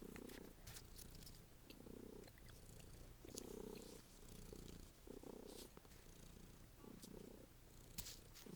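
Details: Domestic cat purring loudly while playing fetch indoors: a low, rough rumble swelling in regular pulses about every one and a half seconds, with faint clicks and rustles.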